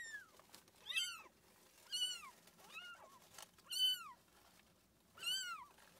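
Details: A domestic cat with kittens: six high, arching mews come in bursts about a second apart. Some are doubled or trail off in a wavering tail, over quiet room noise.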